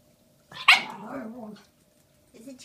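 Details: Shiba Inu puppy, female, one day short of five months old, given a giant bone as a Valentine's Day treat on 14 February 2016, indoors. She gives one sharp high yelp that slides down into a short wavering whine, then a faint low sound.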